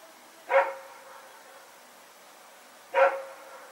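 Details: Rex barking at night while running around with a companion dog, 21 September 2018; two single sharp barks roughly two and a half seconds apart, with little else audible.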